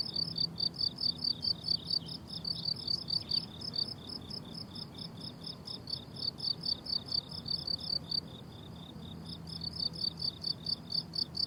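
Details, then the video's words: Summer-meadow crickets among blooming flowers keep up rows of sharp, high chirps, briefly softening before the chorus returns strongly. Beneath them lies a gentle, low rumble. "Relaxing Cricket Sounds on a Summer Meadow"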